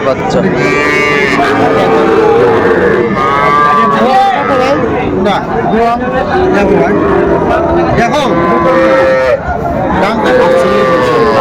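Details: Small Sahiwal bull calves at a Bangladesh cattle market, 11 November 2024, where a Dhaka farmer buys them: frequent loud moos, each a curved, slightly rising then falling bawl, several calves calling in turn over background voices.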